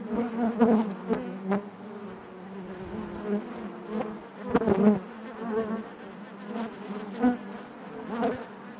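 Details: Inside a honey bee hive, a continuous low buzzing drone with several sharp clicks and knocks breaking through, the volume surging in short swells over the steady hum.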